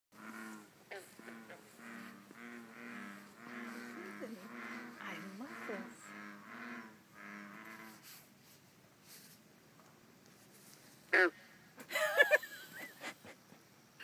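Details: Bullfrogs calling to each other: deep, droning croaks with stacked harmonics, pulsed in rapid overlapping series for about eight seconds, then fading, with a few brief sharp sounds near the end.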